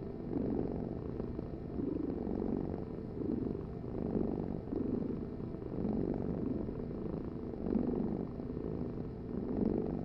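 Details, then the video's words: Domestic cat purring close up: a low, steady rumbling vibration that swells and eases in gentle waves every couple of seconds with each breath, with no other sounds. "Heal with the ultimate cat purring vibration"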